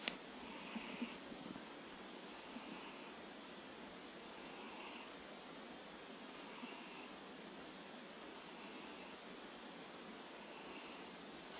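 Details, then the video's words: Kojiro the cat snoring: soft, breathy rasps return roughly every two seconds over a constant low hiss, with a few faint clicks near the start and end. "コジロー いびき snore cat"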